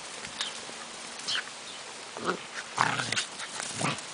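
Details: Dog Belle playing with her 14-week-old son Shaggy Dog outdoors on muddy ground after a night of heavy rain; short, soft growling and whining bursts come in quick play, over a steady hiss of background noise.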